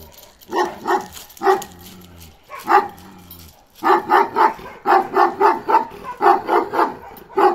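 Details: Deep, booming barks from Balyoz, a male Kangal aged 15 months. A few separate barks open the passage, followed by a rapid run of about a dozen barks in steady succession.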